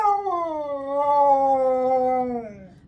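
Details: Siberian Husky screaming on a Sunday morning: one long, loud, harmonic-rich howling cry that holds a steady tone, then slowly slides downward and fades after nearly three seconds.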